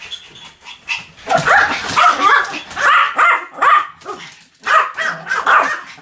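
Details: After a quiet opening second, a Pomeranian breaks into a string of high, insistent barks, roughly two per second, with a brief lull before the final yaps.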